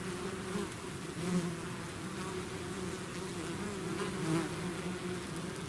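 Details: Honeybee swarm out of its hive, a dense steady buzz of many bees with a low hum and overtone bands, brief louder passes of single bees near the recorder around one and four seconds.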